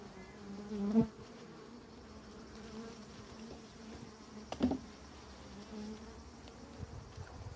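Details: Honey bees around honeycomb filled with honey, droning in a low wavering hum near 200 to 250 with overtones, rising to two louder close passes at one second and near four and a half seconds.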